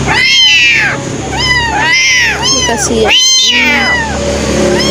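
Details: Two abandoned kittens that had been thrown away, now taken in and waiting for milk, crying with repeated high, arched meows about once a second, some overlapping, over a steady low hum.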